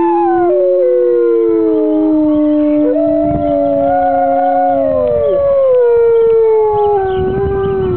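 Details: Chorus of grey wolves howling in response to church bells on a Sunday morning at the UK Wolf Conservation Trust; several drawn-out, slowly falling tones overlap at different pitches, one low voice holding steady before sliding down.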